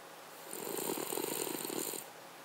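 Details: Cavalier King Charles Spaniel snoring indoors: a single raspy, rapidly pulsed snore of about one and a half seconds with a hissy breathy overtone, between quiet pauses.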